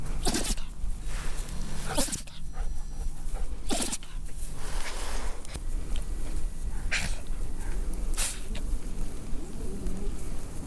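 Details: Sneezes from a young red male toy poodle from Japan: a series of abrupt, noisy snorts spaced one to three seconds apart across ten seconds, with a low background hum in the first half.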